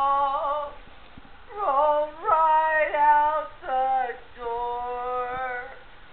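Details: Howling from Siberian huskies in a backyard breeder's kennel: smooth, sustained, singing tones that dip and lift in pitch, several dogs layering held notes with short pauses between phrases.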